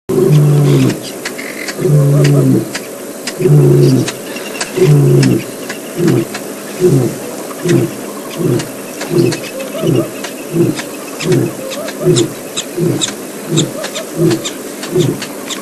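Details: Male lion signalling to the pride, announcing himself to other lions in the area: a long series of deep, low grunting roars, about forty a minute, loud at first then fading, with vehicle engine noise and faint clicks behind.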